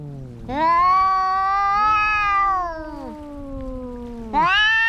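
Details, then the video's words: Fighting cats: one long drawn-out yowl lasting over two seconds, swelling and then falling away, a lower growling tone beneath, and a fresh sharp yowl breaking in at the end. "Som de gatos brigando"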